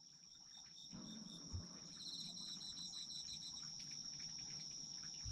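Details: Autumn insects in a night chorus: a steady high trill holds throughout, with pulsed chirping bursts layered above it, rhythmic clicking trains, and a soft low rustle near the start.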